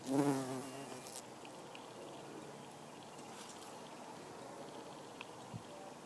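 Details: Buff-tailed bumblebee, Bombus terrestris, foraging on rose mallow hibiscus blossoms; a loud, low droning buzz with stacked harmonics swells in the first half-second as the bee passes close, then fades into a faint hum with light rustling and soft clicks.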